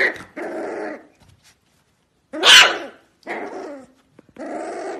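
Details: Corgi puppy of the Pembroke Welsh breed giving short, harsh, harmonic yaps in spaced bursts, with one louder, shriller squeal in the middle and quiet gaps between calls.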